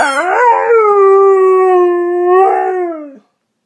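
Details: A dog howls while chewing its toy: one long, steady, mid-pitched howl with rich overtones that rises briefly at the start, holds level for about two seconds, lifts slightly again, then falls away into silence.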